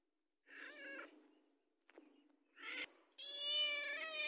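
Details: House cat asking for food, giving quick successive meows, two short and bright, then a long, strong, steady meow that ends the sequence, with a sharp click in between.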